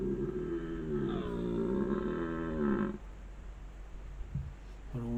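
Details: A red deer stag gives a long, deep, moaning bellow that swells and then fades, during the autumn rut on 6 October 2024 in the Préalpes d'Azur above Grasse, France, on a cold 3°C day, recorded by trail camera.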